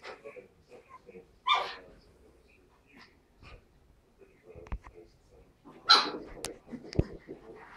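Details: Pug puppy Tilda and Chihuahua puppy Roz playing together indoors; two short, harsh bark-like bursts stand out near the start and end, with soft snuffles and small yips in between.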